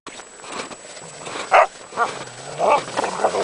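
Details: Two dogs chasing each other while playing on a frozen lake: a few short, muffled barks and yelps at irregular intervals over a steady hiss of wind or ice noise.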